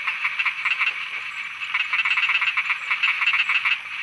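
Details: Night frog chorus from Thailand: many frogs croaking together in fast, uneven runs of short pulsed notes over a constant high-pitched drone, the pulses thickening into near-continuous bursts toward the end.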